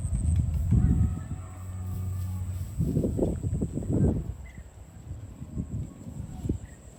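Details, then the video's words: Cows on a farm, herded toward the barn, give a steady low moo lasting about two seconds, followed by rough rustling and trampling bursts. "Herding Farm Cows to the Barn - Funny Moo Sounds"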